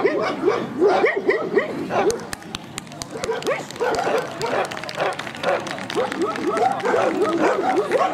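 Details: Central Asian Shepherd Dogs at a club breed show in Kyiv (Krasylivka), 28 September 2019, during judging and placement; loud, rapid barks about two per second, each a short rising-falling yelp, with sharp clicks and background voices.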